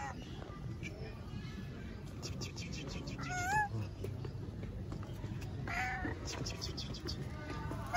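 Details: A stray tabby cat living on the street in Istanbul gives two drawn-out, wavering meows, asking for affection and food.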